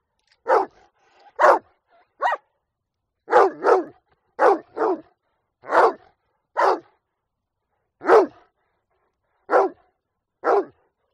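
A Rottweiler barks in short, deep bursts, sometimes doubled, spaced about a second apart.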